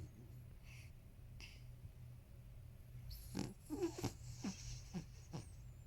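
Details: Thirteen-year-old male Toy Poodle snoring indoors, loud enough to be likened to a monster while someone edits on a computer nearby: quiet low rumble, then a run of rough snorting breaths, about one every half second, with faint clicks.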